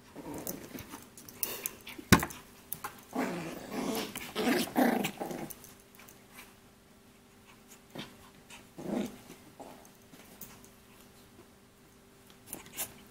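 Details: Shih Poo, a shih tzu and mini poodle cross, growling indoors in low rough bursts around two to five seconds and again near nine seconds, with clicks and quieter stretches between.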